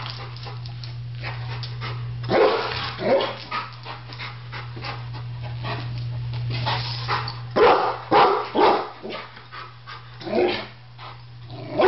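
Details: A Rottweiler gives deep, gruff barks in short bursts over a steady low hum, reacting to a barbecue grill he seems to think will attack him, while a Doberman watches.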